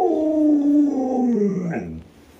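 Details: Luoluo, a pet Alaskan Malamute, gives a single drawn-out howl indoors that starts steady and slides downward in pitch, then fades into a brief wavering end after about two seconds.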